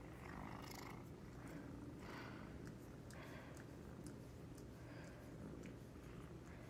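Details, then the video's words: Domestic cat dozing through the middle of the day while dreaming; low continuous rumble with soft airy breaths swelling about once a second. "Cute cat is snoring, twitching, dreaming and waking up."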